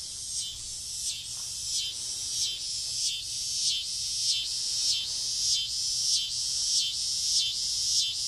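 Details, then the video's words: Cicadas calling from trees in a front yard late on a summer evening just before dusk: a dense, continuous high-pitched buzzing drone with soft pulses swelling roughly every half second, steady throughout. "Noisy cicadas on a summer evening"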